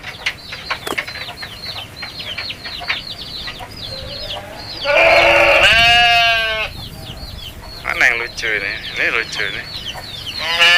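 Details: Goats heard in one long, strained bleat lasting over a second in the middle, followed by shorter bleats, while dense high-pitched chirping carries on throughout.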